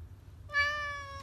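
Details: A domestic cat making a human-like, talking sound: one clear, steady, drawn-out meow lasting under a second over a low background hum.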